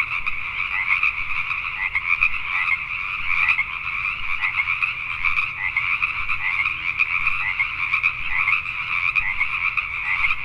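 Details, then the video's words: Pacific tree frogs at night in Richmond, British Columbia, Canada, forming an unbroken chorus of overlapping croaks, steady loudness throughout with quick rhythmic pulses and occasional stronger individual calls. "Pacific Tree Frogs at Night"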